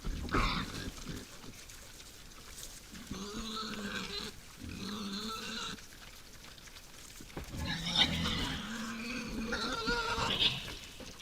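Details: Wild boars visiting a forest feeder at night: two long, wavering squeals in the middle, then a louder burst of higher, harsh squealing and grunts toward the end, with rustling throughout.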